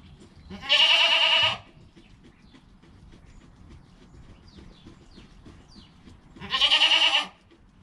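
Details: High, quavering bleats from Joel, a goat kid within an hour of birth, filmed by GoPro next to his mother Penny; two calls roughly six seconds apart, each close to a second long, with quiet shuffling between.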